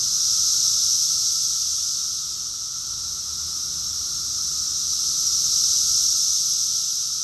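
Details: Cicadas in full summer chorus at Rockville, Maryland, USA, June 2021, a thick shrill hiss that dips slightly early on and then builds back to a loud, sustained buzzing drone.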